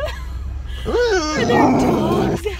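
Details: Ellie, a female dog in a car arriving at the dog park, eager to get out and play with other dogs, gives one arched whine that rises and then falls, followed by a rough, breathy yelp over a low engine hum.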